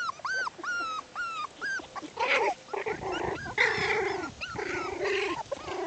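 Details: Six-week-old Bichon Poodle puppies playing outdoors: a run of arched, whistled whines repeated about every half second, then rougher, louder yelping and grumbling sounds from the litter at play.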